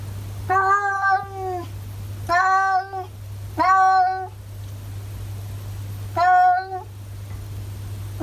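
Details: Masaru, a talking ginger tabby cat in Japan, chatters in four drawn-out harmonic meows, each about half a second to a second long, with short pauses between and a steady low hum underneath.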